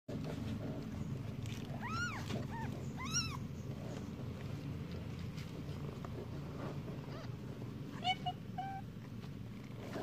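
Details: Cat giving a few short arched meows with rising then falling tone, two near the start and a fainter pair later, over a steady low rumbling background noise.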